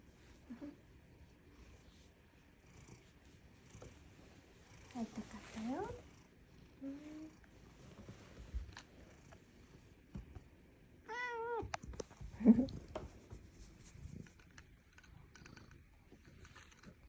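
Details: Domestic cat named Fuku-chan, just awake from a nap and coming over to greet, gives a few short meows, one clear rising-falling meow near the middle, with soft purring and a person's quiet speech indoors.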